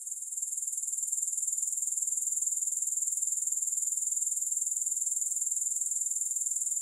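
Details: Grasshoppers buzz in an unbroken, very high, hissy trill with a regular beat of roughly four pulses a second. It grows slightly louder in the opening second, then holds steady.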